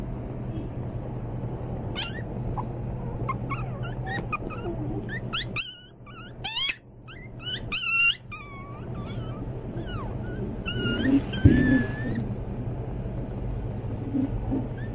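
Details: Pomeranian (toy spitz) puppies give rapid, high-pitched yips and squeaky barks over a steady low hum.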